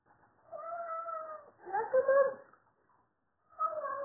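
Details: Pet male Siamese cat, eager for food at mealtime, giving two long drawn-out harmonic meows, one level and one falling, then a brief pause before a third meow starts; indoors, no other sounds.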